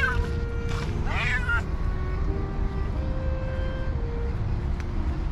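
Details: Hungry cats and kittens gathered around a person, begging for food; one quick pair of high wavering meows early on, then mostly sustained background music tones and low rumble.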